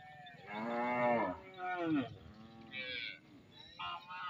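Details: Cattle from a large herd walking home past the edge of village fields in Indonesia; a long, rich moo swelling and then bending downward, followed by a softer lowing call and brief higher-pitched bleats from other animals.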